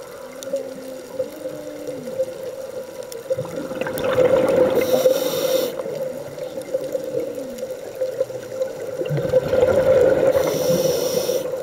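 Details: Humpback whales singing underwater off Hawaii, heard during a scuba dive: low, arching moans that rise, hold and fall, returning a few seconds later, with loud bursts of diver's bubbles and a steady underwater hum.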